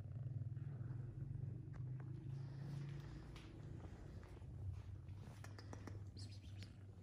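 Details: A kitten purrs during a massage, a strong, low, throbbing rumble that stays close and steady. Faint rubbing and a few light ticking sounds are heard in the background.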